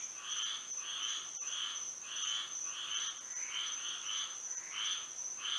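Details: Florida frogs singing at night in moonlight; slower, irregular buzzy croaks, some doubled, spaced about a second apart, with a steady high insect hum behind them.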